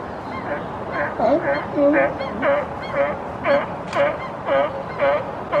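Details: California sea lions crowded on a platform in British Columbia, one pushing another into the water, give hoarse, honking barks about twice a second.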